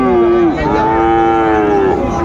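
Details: At Raniganj market in Dinajpur on 2/1/25, where Friesian and cross-breed bull calves are traded, a calf gives a long moo. It wavers after half a second, then holds level for over a second, over a busy crowd backdrop.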